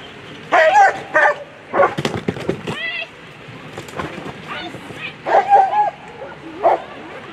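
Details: German Shepherd Bajan v. d. Teufelsweibern at a World Championship agility event, A3 class on Sunday: bursts of sharp, excited barks and high yips, a cluster early and another near the end, over crowd chatter and arena bustle.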